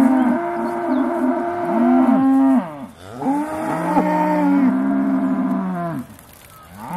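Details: Several Aussie Red dairy cows lowing just before being milked, December 2012; overlapping deep moos follow one another almost without pause, bending up and down in pitch, then fading into quiet at the end.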